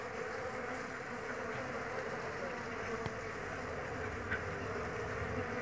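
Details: Jandaíra stingless bees, many foragers active at a home in São Paulo among more than 30 bee boxes, give a steady, dense, low buzzing hum with no clear breaks, joined by a few faint clicks and soft background noise.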